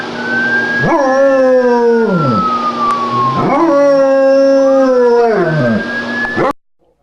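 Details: German Shepherd copying a police siren, giving three drawn-out howls that start abruptly, hold steady, then bend downward, overlapping a gliding siren wail; the sound cuts off near the end.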